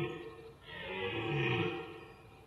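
A red deer stag gives a deep, drawn-out groaning roar that swells and fades, a rutting mating call.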